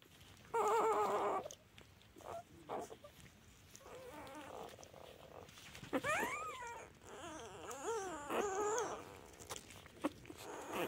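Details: Newborn black-and-white puppy, two days old with eyes not yet open, giving soft wavering whines and squeaks, some rising and falling in pitch, separated by quiet rustling pauses.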